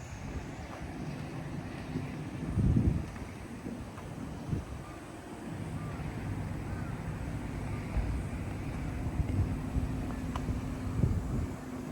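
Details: Outdoor wind rumble and microphone buffeting with low hum and a few thumps, no animal voice.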